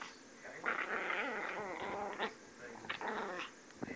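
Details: Female puppy, described as angry, producing a high-pitched wavering growl that rises and falls, then a shorter second burst after a pause; a faint voice in the background.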